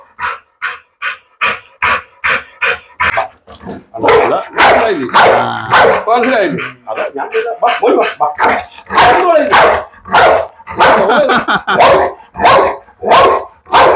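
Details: Pit Bull barking in a rapid run of sharp, broadband barks, well over one per second, strongest at the start and again toward the end, with a man's voice talking over the middle stretch.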